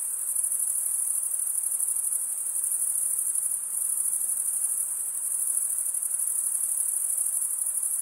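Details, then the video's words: Chorus of male crickets chirping by wing stridulation: a steady, piercing high trill, evenly loud throughout, with a faint low hiss beneath and nothing else audible. "cricket sound"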